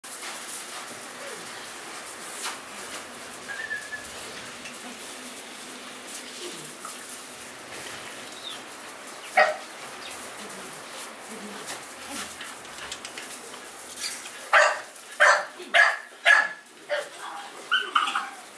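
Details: Three American Bully pocket puppies, two months and two weeks old, in Romania; after a quiet stretch of hiss and faint noises, a run of about seven short, sharp, high yapping barks comes in quick succession near the end.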